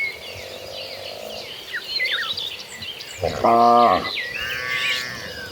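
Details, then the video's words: A herd of gentle cattle running toward green pastures: one loud, drawn-out low moo lasting under a second midway through, over steady chirping and twittering of small birds. "A Herd of Gentle Cattle Running Toward Green Pastures, the Sound of Cows Mooing."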